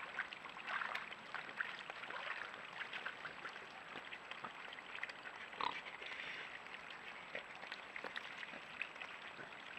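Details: Wild boars at a natural mud wallow, caught by a camera trap: faint, rough grunts scattered through the clip over a steady hiss, with splashes and rustling in the mud.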